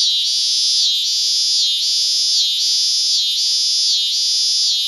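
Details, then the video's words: Extremely loud cicadas at Lionsgate in early September 2009: an intense high buzzing rises and falls in even waves, roughly one pulse every 0.8 seconds, steady and unbroken. "Cicada at Lionsgate"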